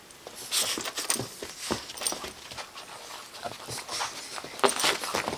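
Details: A bulldog puppy, two months old, at play with a Boston terrier; quick rhythmic panting and huffing breaths, with a few sharper snorts and scrabbling noises between them.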